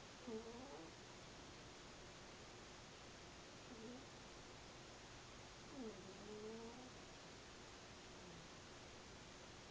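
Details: A sleeping house cat snoring quietly: soft, wheezy tonal snores with a slight rise and fall, recurring every two to three seconds over a steady background hiss.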